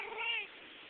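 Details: Tuxedo cat in a living room on a recliner lets out one brief rising-then-falling harmonic meow, about half a second long, in a quiet indoor space.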